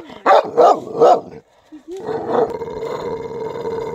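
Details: A white dog gives three short, rough barks in quick succession, then a brief pause before a steady droning tone runs to the end.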